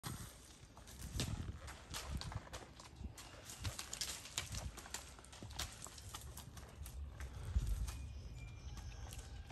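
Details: Poncho, a 12-year-old, 15-hand Kentucky Mountain horse gelding, walking a wooded trail. Rapid, uneven hoof thuds and crunches on the ground sound one after another, with rustling underfoot between the steps.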